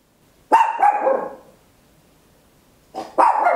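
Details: ['Loud barking from a tiny Papillon at home, recorded in stereo on an Olympus LS-11: a rough, drawn-out double bark, a silent pause of about one and a half seconds, then another harsh burst of barking.']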